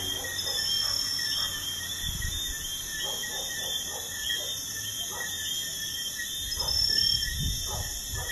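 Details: Crickets at night beside a busy highway: a steady, shrill, continuous trilling in several high overlapping bands. Short lower clicking pulses repeat through it, with a soft rumble of passing traffic underneath.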